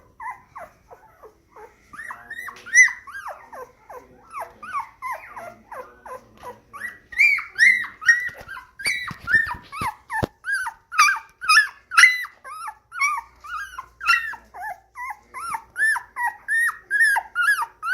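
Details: Black and white parti moyen poodle puppy, born January 2019, whining indoors: a quiet start, then a steady run of high, short yelping whimpers, each sliding up then down, coming roughly twice a second with a few soft clicks between.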